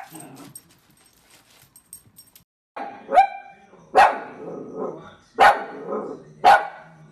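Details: Playful miniature dachshund indoors, giving four sharp, loud barks spaced about a second apart after a stretch of quiet shuffling and faint rustling.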